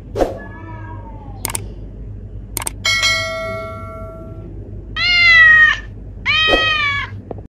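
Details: Neighbourhood cat in a standoff: short descending mews, sharp clicks and thumps, then two loud, harsh, sustained yowls, each nearly a second long, in a quiet setting.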